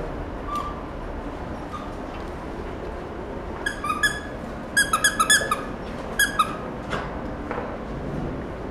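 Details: Male sable-and-white Pembroke Welsh Corgi puppy, born July 2016, at a pet shop, giving high squeaky whines and yelps in a cluster of short bursts in the middle, over steady indoor room noise.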